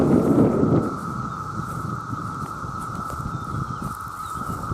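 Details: Millions of male cicadas calling for mates in a very loud chorus: a steady, unbroken drone holds one pitch throughout, while a burst of low rumbling and thumping noise fills the first second.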